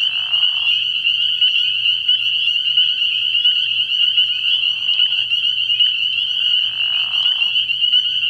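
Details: Early-year frog pond at night, full of spring peepers: a steady shrill mass of high whistled peeps, with brief lower rasping bursts near the start, middle and end, and a faint low hum.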